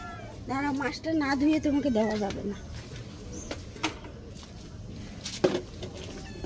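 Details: An angry cat during a bath lets out a drawn, wavering wail lasting about two seconds, then falls quiet while a woman keeps talking over faint household noise.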